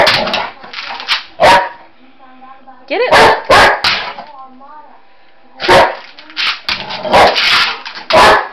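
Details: Pet Boxer dog chasing shadows and a flashlight indoors gives sharp, loud barks in short bursts, with a brief wavering whine around the middle, between gaps of quiet.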